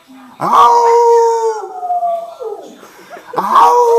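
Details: Cardigan Welsh Corgi singing with its owner: a long, steady tonal howl that holds then slowly falls and fades, followed by a fresh rising howl at the end.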